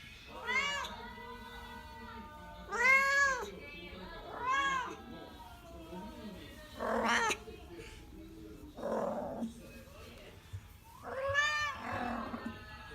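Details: Rescued pet cat Kuro in heat at home in Tendō, Yamagata, Japan: a run of arching, rising-and-falling yowls at irregular intervals, with a background hum and some faint voices between calls.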